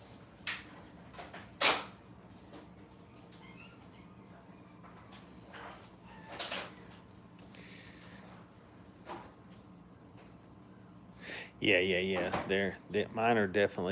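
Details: Five-week-old puppies having fun at a training kennel, indoors: after scattered knocks and clatter, a late burst of high, wavering whining yelps, repeated rapidly over the last two seconds.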